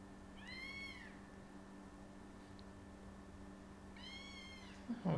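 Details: Kitten meowing indoors: two short, clear mews that rise and then fall, about three and a half seconds apart, over a low steady hum, ending with a soft thump.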